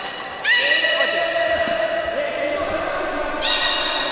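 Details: Belugas at Port of Nagoya Public Aquarium, Japan, on 11 August 2018, during an attempted pool move of Nana and Hodoi. A rich layered squeal rises abruptly, holds with a sliding lower whistle, then a second squeal begins.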